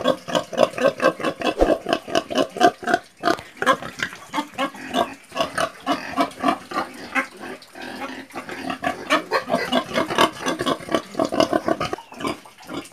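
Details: Several pigs grunting together, a dense run of short snorting grunts at roughly four per second with irregular spacing and a few louder squeaky notes mixed in.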